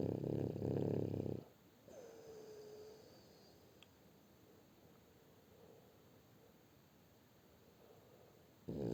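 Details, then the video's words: Shturm, a French Bulldog, snores: a coarse, vibrating low snore at the start, a long quiet pause with a faint thin whine and a small click, then another raspy snore starting at the end. "Французский бульдог Штурм Храпит"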